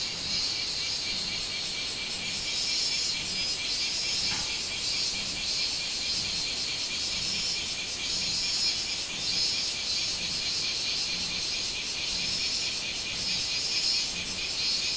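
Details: On 24 July 2016, a robust (minmin) cicada, Hyalessa maculaticollis, calls with a loud, high, shrill drone pulsing in rapid repeated beats.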